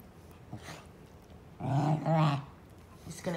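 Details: Basenji pair Zinga and Zulu in rough, affectionate play: after a quiet start, a low, throaty growl rumbles for about a second, followed by a short, fainter snarl at the end.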